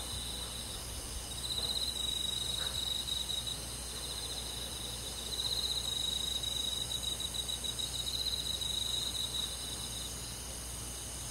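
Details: Crickets on a summer night in a rural forest, giving high, steady pulsed trills in long bouts that swell louder around two and six seconds, over a faint low hum.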